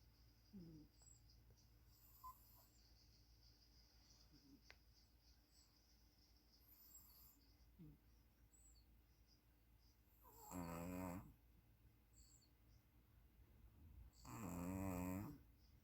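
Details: A sleeping puppy snores. A long quiet stretch with a few faint soft sounds comes first, then two loud, rasping, wavering snores arrive about four seconds apart near the end.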